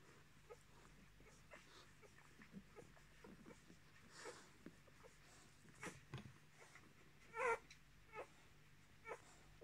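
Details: Roan Miniature Australian Shepherd puppies, 10 days old, born 10 March 2020; soft scattered squeaks, then one clear rising-falling whine near the end, with rustling bedding and a faint constant hum.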